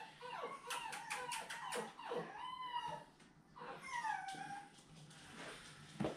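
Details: Whimpering from a seven-week-old puppy of Fancy's litter indoors, a thin rising-and-falling whine with a brief howl-like drawn note, mixed with a woman's affectionate talk.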